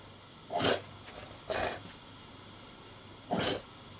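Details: English Bulldog named Porkchop indoors, upset by the camera while building a nest from laundry; three short, broad, huffy barks spaced about a second apart, some snorting between, in a quiet room.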